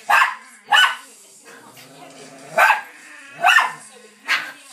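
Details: Bichon Frise dog and a Lowchen playing wildly on a settee indoors during a burst of energy; sharp, short barks about every second, five in all, with faint background voice.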